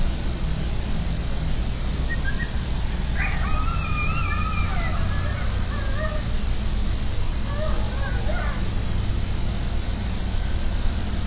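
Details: Coyotes yelping in the night, set off by a distant siren: faint, high, wavering yips in two short bursts, the first longer, then a second a few seconds later, all over a loud, steady low rumble.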